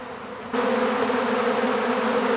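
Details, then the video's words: Honeybee swarm being captured into an empty hive: after half a second of quiet, a loud, steady droning hum sets in abruptly and holds level, thick and continuous, with no other clear sounds. "How to Capture a Honeybee Swarm"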